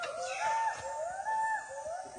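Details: A Western hoolock gibbon in a rainforest national park gives loud, tonal whooping notes that swoop up and down, about three in two seconds, over a soft forest hiss.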